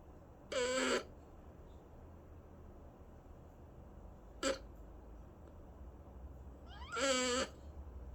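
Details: A pet cat meows twice in a quiet room, with the calls about six seconds apart. Each meow is clear, harmonic and slightly bending, and a short soft chirp falls midway between them.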